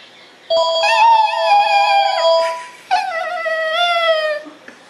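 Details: A black-and-white Shih Tzu, hearing a phone ring, gives two drawn-out, cat-like meowing howls, each slowly sliding downward in pitch.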